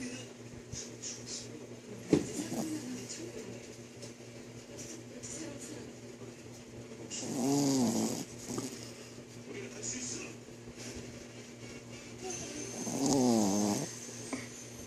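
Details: Shih tzu named Eevee sleeping after a bath, giving loud snores: two long rasping snores with a wavering nasal tone, about six seconds apart, quiet breathing between, faint indoor room sound and some voices.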